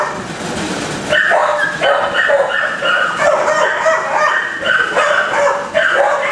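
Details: Dogs in kennels bark over one another: after a quieter opening second, a dense run of clipped, ringing barks overlaps continuously, many per second, from more than one animal.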